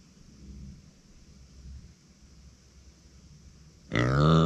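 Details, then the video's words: Uni, a pet female micro pig, cries when nobody stays beside her. About four seconds of quiet room hum pass before one loud, rough, harmonic cry breaks in at the very end. "そばにいないと鳴く マイクロブタ"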